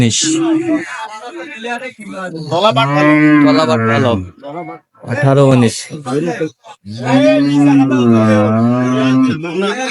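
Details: Cattle at Raniganj livestock market in Dinajpur on 22 May 2025, where improved-breed dairy cows and calves are sold. The clip holds long, loud, tonal moos, wavering slightly in pitch, several in a row with short gaps between them.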